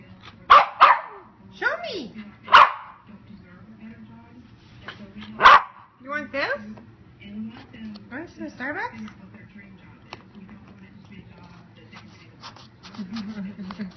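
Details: Westie puppy drinking a pup cup through a straw lets out three sharp, abrupt barks spaced a few seconds apart, amid a person talking, soft slurping clicks and a low background hum.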